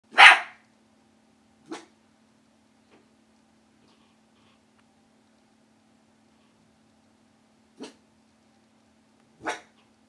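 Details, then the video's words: A Miniature Bull Terrier puppy, hearing a phone ring for the first time, gives a few sharp, broadband barks separated by long quiet gaps. "Miniature Bull Terrier Puppy Loki Barks"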